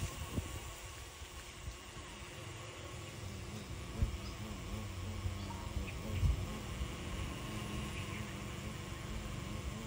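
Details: Xylocopa carpenter bees at nests in a jackfruit tree; a low, droning buzz wavers in pitch as a bee passes, over a steady background hum.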